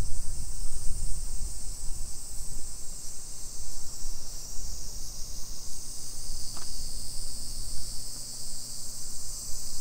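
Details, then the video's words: A dense summer cicada chorus along suburban streets of Nisshin, Aichi, Japan, at 2 PM on 28 July 2021: continuous shrill, sizzling drone, louder low rumble early, a steady low hum and one sharp click near the middle. "Summer Cicadas Sounds"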